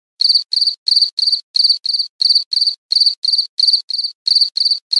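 An insect chirps in brisk, high, ringing pulses that come mostly in pairs.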